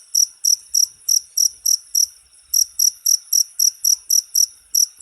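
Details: Cricket (jangkrik) in a short recording meant for tutoring all kinds of songbirds: high, bright chirps repeated about four times a second, with a brief pause near the middle before the steady rhythm resumes.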